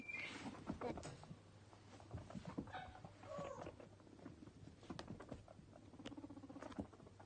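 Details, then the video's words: Two male pet guinea pigs, Toffee and Fudge, playing, popcorning and eating carrot stick snacks; soft pattering and rustling movement mixed with brief low chirping chutters and a short higher squeak near the start. "My Guinea Pigs Playing, Pop-Corning and Eating"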